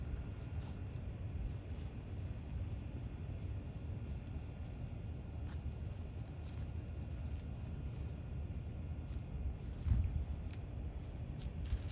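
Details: Steady low outdoor rumble like wind or distant traffic, with no animal sounds.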